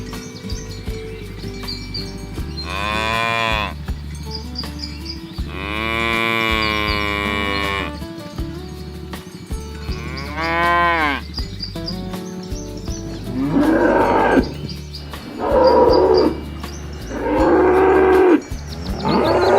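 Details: Village cattle herded along a rice field ditch toward the livestock pen, rural countryside; repeated long moos from several animals, some drawn out over two seconds, others short and hoarse, with steady low background tones between them.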